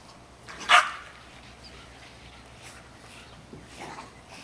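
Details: A pet Boston Terrier playing with a large red ball gives one short, sharp bark. The rest is quiet room sound with faint rustling.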